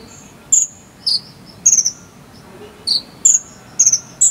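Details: Jangkrik sambung cililin cricket, recorded as filler song for a konin bird: isolated high, pulsed chirps roughly every half second, alternating between a sharper upper note and a lower buzzy one, background otherwise quiet.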